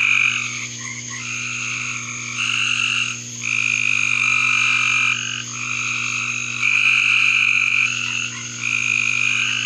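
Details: Backyard frog chorus of many overlapping high, buzzy trills that start and stop in waves every second or two, over a constant low electrical-sounding hum.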